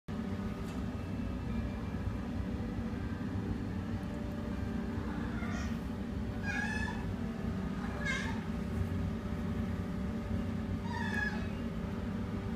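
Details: Adult female Siamese cat, shy at first, at an adoption shelter, gives four drawn-out, slightly rising-and-falling meows spaced a few seconds apart over a steady mechanical hum.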